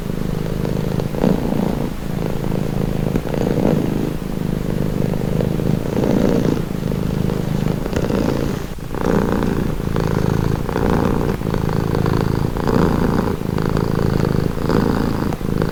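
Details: Cat purring for relaxation, a deep continuous pulsing rumble that swells and fades with each breath about once a second, recorded close up with no other sounds.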